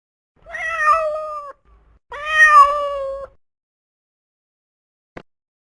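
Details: Domestic cat giving two drawn-out meows about a second long each, clear tonal harmonics holding steady then falling slightly at the end, followed by silence and a brief click.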